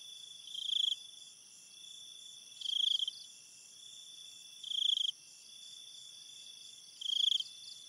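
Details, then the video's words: Cricket at night in an enchanted-forest ambience, giving short high trilled chirps about every two seconds, four bursts in all. A steady shrill insect chorus fills the gaps. "cricket sounds and night ambience"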